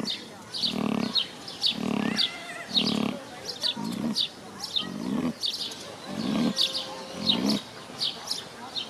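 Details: Pot-bellied pig asleep at midday in a zoo at Bad Kösen, Germany, snoring loudly: regular low rumbling snores about once per second alternating with breathy wheezes, with faint background chirping and distant voices.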